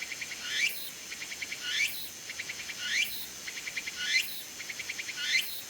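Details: Tsukutsuku-bōshi cicada perched on a persimmon tree in late summer to early autumn, unseen; loud high buzzy phrases, each a rising sweep followed by a rapid pulsed stutter, repeating roughly every 1.2 seconds.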